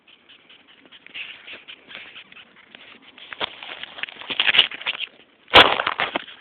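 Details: Red velvet ant, also called cow killer, a flightless wasp, giving its screaming noise: dense scratchy squeaking pulses, irregular and rising in loudness, ending in a sharp loud burst near the close.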